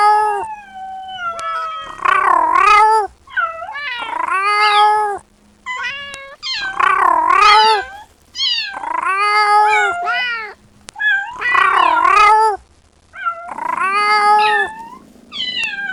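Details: Repeated loud meows from a kitten calling its mother, crying wails of varying length coming about every two seconds, with short higher mews between them and faint background hum.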